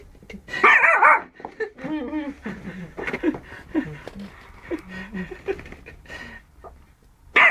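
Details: A Yorkshire Terrier meeting a bunny for the first time gives sharp, high barks at the start and end, with people talking between them.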